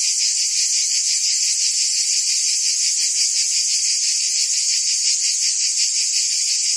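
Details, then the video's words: A constant wall of high, hissing cicada buzz rises from forest trees, softly pulsing several times a second and never pausing. "Ambient Cicada Sounds"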